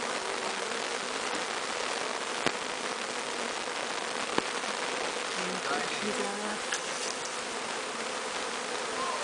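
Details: A bee swarm, captured from the top of a large tree, being walked into a new hive so it accepts it as its own; a steady, dense hissing hum throughout, with a few brief low buzzing tones and two sharp clicks.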